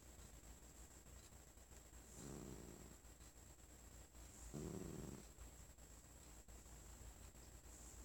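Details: Female pet cat named Sonora, sitting on a lap, growls when petted after hearing a cough; two low, rough, rasping growls of under a second each, the second slightly louder, separated by a quiet pause over faint room hum.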